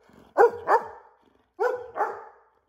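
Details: Chocolate Labrador Retriever pet dog barking persistently to remind its owner to leave work: two pairs of short, harmonic woofs, each pair quick and close together, separated by about a second of quiet.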